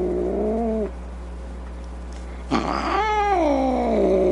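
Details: Angry cat yowling: a short wavering moan, a pause, then a sudden loud rising howl that bends upward and slides back down, harsh and strained, over a low steady hum.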